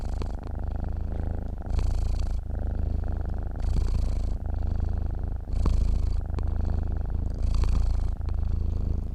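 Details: Purring from a sleeping cat, a soft low rumble pulsing in regular breath cycles about every two seconds, steady and unbroken throughout.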